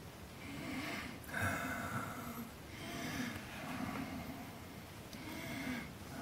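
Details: A brown (grizzly) bear right by a cabin at Angstman Cabin, Wood Tikchik State Park, Alaska, around 4 o'clock, gives breathy, rasping snorts and huffs spaced a couple of seconds apart while investigating something and checking out a four-wheeler.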